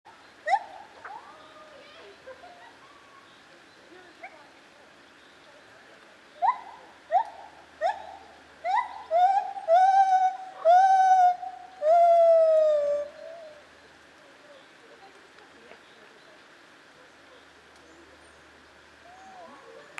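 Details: Lar gibbon, also called white-handed gibbon, at Zoo Opole in 2015. After a few scattered hoots, a run of quickening, rising whooping notes builds into several long sliding wails, then fades to quiet.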